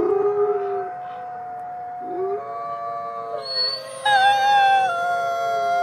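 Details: Gray wolves at twilight at the Wolf Conservation Center in South Salem, New York: a low howl begins, then several voices pile on, with a high, wavering howl entering partway through over the steady lower tones.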